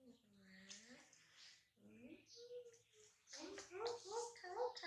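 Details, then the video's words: Newborn baby monkey Dody, laughing while his mother softly touches his neck: thin squeaky tonal cries with arching pitch, a brief pause, then a quick run of repeated bright squeals near the end over soft rustling. "Newborn Baby Dody Laughing When Mom Touch His Neck Softy"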